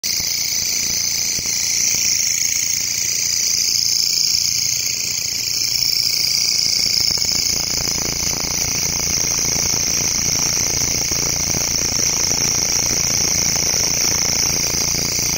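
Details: Grasshopper calling in a local forest: a continuous, shrill, high-pitched hiss that holds steady for the whole stretch without pauses, with a fainter, lower buzzing tone underneath and a soft rumble of background noise.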